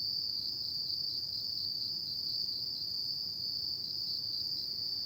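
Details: Autumn night insects produce a steady shrill ringing trill at a single high pitch throughout, with weak higher tones and low ambient hum underneath.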